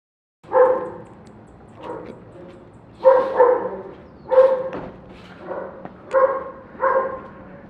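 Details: Neighbour's dog barking around 7:09 in the morning, loud harmonic barks at irregular intervals, about six main bursts across the stretch with softer barks between, no other clear sounds.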